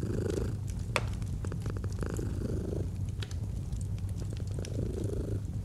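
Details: Domestic cat purring in a relaxed, cozy scene, a rumbling low vibration pulsing with each inhale and exhale, while a fireplace pops and crackles, including one loud snap near the start.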